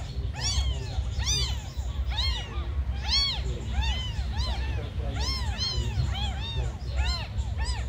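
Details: Several tiny abandoned kittens meow almost continuously, high arching cries overlapping one after another, roughly every half second, over a steady low rumble of background noise.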